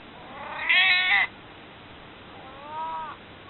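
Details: Pleading for a cuddle, the nearly 22-year-old cat Maru lets out one loud, strained, high meow followed after a pause by a softer, shorter, lower meow in a quiet room.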